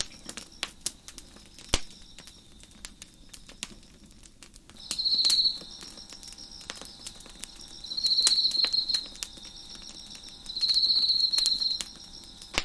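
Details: Crickets sing near a fire crackling on a deck. A faint high continuous drone carries three louder buzzy trills, each around a second long and spaced a few seconds apart, while irregular wood snaps and pops crackle throughout.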